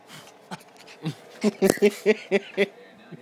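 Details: Josie, a two-year-old female Shih Tzu–Maltese cross pet dog, going crazy as she does every night: a quick run of about seven short, sharp yapping barks, spaced evenly and growing louder toward the end, after a few softer yips.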